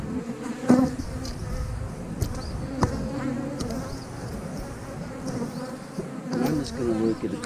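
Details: Colony of honey bees in a hive whose frames are about to be checked: a continuous low-pitched droning buzz, occasional clicks and knocks from handling, and a louder wavering hum swelling toward the end.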